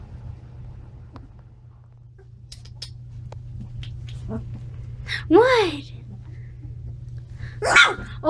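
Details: Standard Poodle puppies, 17 days old, filmed October 28th soon after moving to a bigger home and finding their voices. A single arched, rising-then-falling whine midway, then a sharp short yelp near the end, over a steady low hum and soft human talk.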